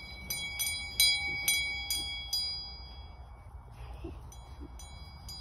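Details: Bell-like chimes struck roughly twice a second over a low rumble and faint voices, fading into quieter knocks, with no animal calls.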